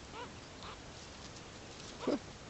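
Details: Wild meerkats at Oudtshoorn, Western Cape, South Africa, noisy unlike the quiet stealth-hunting mongooses of the area: a few soft, short nasal peeps, then one louder squawky call over steady background hiss.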